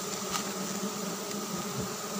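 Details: Dense, continuous droning of giant honey bees (Apis dorsata) during a dry-season honey harvest, the hum holding level and even throughout with faint soft knocks underneath.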